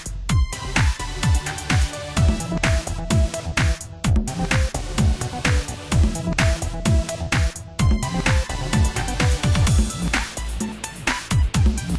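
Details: Pulsing electronic dance music with heavy bass beats and no animal sounds.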